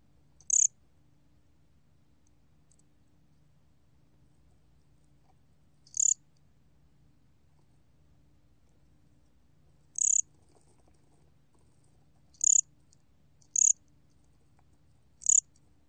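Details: Sparse high chirps of a gomgwitturami cricket, recorded in 2020 by the National Institute of Biological Resources: six brief bursts, widely spaced at first, then closer together toward the end, with quiet in between.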